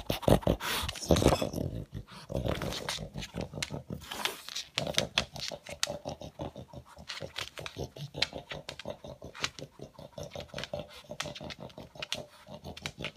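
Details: A male pug vacuuming up leftover food pellets with his nose, making a steady rattle of fast, rough sniffs and snorts; a louder breathy burst opens the stretch.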